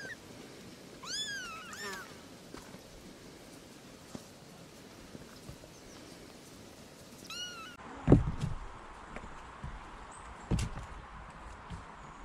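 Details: Kitten among cats with their young, meowing to ask for attention: a quick pair of high, bending meows near the start, another short cry later, then bumps and handling noises in a quiet room.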